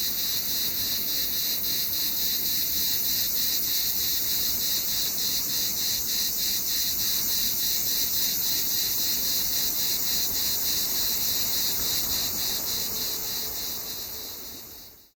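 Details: In summer, a cicada buzzes in a loud, continuous, high-pitched drone with a fast rhythmic pulse.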